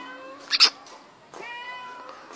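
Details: Young kitten at home meowing as its owner talks to it. A level, tonal meow fades out, then a sharp double click, then another sustained, slightly rising meow.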